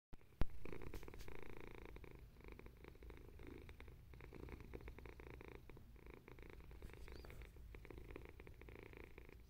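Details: Domestic cat purring while waiting its turn to sit on an owner's lap, one of two male cats, a grey British Shorthair and a white-and-ginger, 12 August 2021; steady low rumbling purr throughout, with a sharp click near the start.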